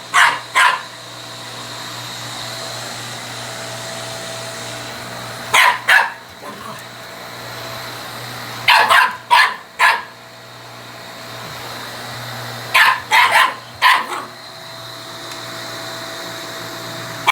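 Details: Picking a fight with a vacuum cleaner, a male Shiba Inu barks in scattered bursts of two to four sharp, clipped barks, separated by several seconds of the appliance's steady droning hum.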